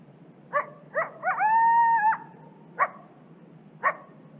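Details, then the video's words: Lone coyote along a secluded Canadian prairie river, watched howling and barking: two short sharp barks, then a drawn-out, steady howl lasting nearly a second, followed by two more isolated barks spaced about a second apart, over quiet low background. "Howling and Barking Coyote Along A Secluded Canadian Prairie River"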